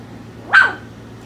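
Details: Litter of four-week-old puppies belonging to Skittles, one of them, Trigger, with a brown ribbon and spots: a single loud, sharp yip, bright and quickly falling, against a quiet indoor background.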